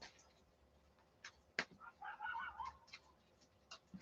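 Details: Coyotes close outside at night give a brief, loud, wavering, high yipping howl that rises and falls, heard from indoors amid knocks.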